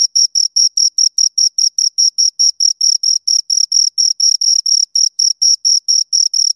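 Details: Two crickets stridulating up close, producing loud, shrill pulses in a quick regular rhythm of around four per second, with some pulses slightly longer. Nothing else is audible.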